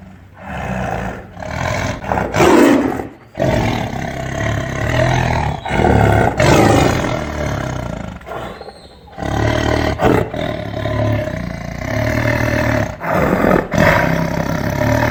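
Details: Tiger. A tiger gives a run of powerful, throaty roars, each a rough, rumbling burst that rises and then cuts off. The growling blasts come in quick succession with brief silent gaps between them.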